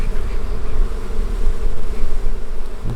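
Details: Many honey bees buzz at a beekeeper's hives during the honey harvest, with smoke used to calm them. A dense, continuous droning hum fills all three seconds over a steady low rumble.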